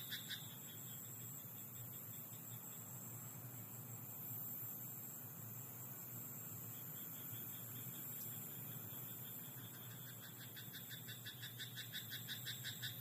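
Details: Frog croaking in a rice paddy at night: brief bursts of rapid, rattling pulses at the start and a longer rhythmic pulsed train near the end, over a steady high insect hum and a low rumble like distant traffic.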